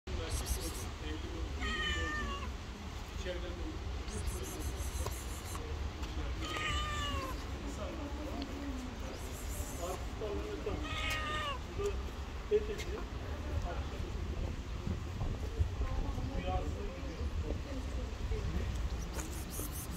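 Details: A black cat with green eyes, a stray living on the street, meowing in short harmonic calls scattered over a steady low rumble, with quieter overlapping cries and voices faint in the background.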